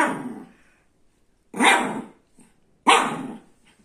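A young Shih Tzu barks in brief, bright yaps with a rough edge, one after another with quiet gaps between. Small puppy voices like this sit high and thin rather than deep and booming.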